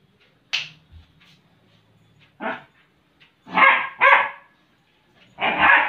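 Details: Playful German Shepherd romping with cushions, barking in short bursts: a sharp yip, a gruff bark, then a quick double bark and a final bark, with quiet shuffling between them.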